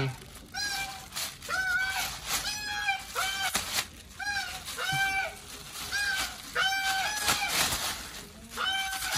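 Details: Titi, a pet otter, calls for tasty fish after being petted: a chain of loud, high, arched squealing cries with rich harmonics, about one each second, some doubled, with faint human voices and rustling behind.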